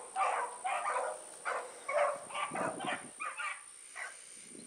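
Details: Evening run of the Blackreek hound pack, Choco, Dino, Johnny Ringo and Mingo, on 16 August 2014: quick, irregular bursts of barking roughly twice a second that fade toward the end, with a steady high electronic whine underneath.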